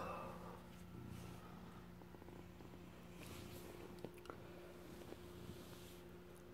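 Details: A rescued former street cat, now a male house pet, purrs while guarding stolen cheese indoors. The purr is a continuous low throbbing rumble over a constant background hum, with a few light taps.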